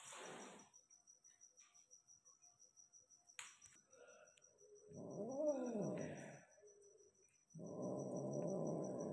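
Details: Persian cat during mating with a peke male, indoors: a drawn-out tonal yowl that rises then falls in pitch, preceded by a short throaty sound and followed by a broad rough burst, with soft background hum.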